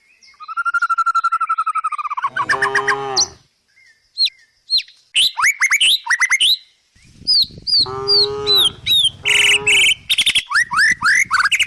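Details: Tame village cows walking down a country hill while grazing in a forest give short, low moos, each about a second long, as small birds chirp brightly all around.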